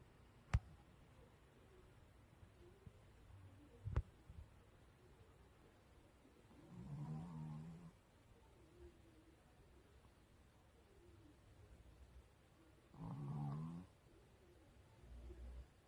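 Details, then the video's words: A sleeping dog snores indoors, its snoring said to grow gradually louder; two low, rumbling breaths with a raspy upper edge arrive about six seconds apart, separated by near silence, with two sharp clicks early on. "점점커지는 강아지 코골이"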